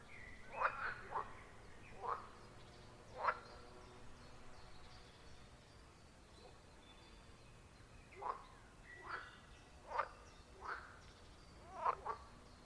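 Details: Wild pond frogs in a forest chorus: clusters of sharp croaks, some in quick pairs, then a pause of several seconds before calling resumes, with a quiet hum underneath.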